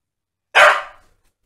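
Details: Staffordshire Bull Terriers Holly and Ralph indoors while playing; one dog gives a single sharp, loud bark that fades quickly into silence.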